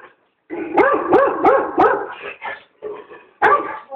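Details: German Shorthaired Pointer afraid of a giant squirrel balloon, barking: four quick, rising-falling barks in a row, then looser yips, with a person's voice mixed in.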